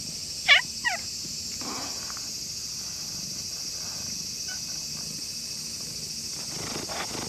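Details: Stray cat in shrine grounds in the evening, growing friendly with a visitor: one short descending meow with bright harmonics, then a softer second note, followed by quiet outdoor background hiss.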